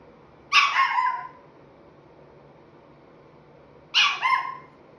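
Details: A 5¾-month-old Chihuahua puppy "talking": two short, harmonic, whiny barks about three seconds apart, each wavering and falling off at the end, with a quiet background.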